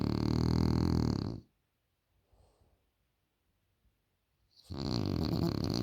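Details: French Bulldog snoring loudly indoors: two long, rough, low rumbling snores, about a second and a half each, separated by nearly three seconds of quiet breathing.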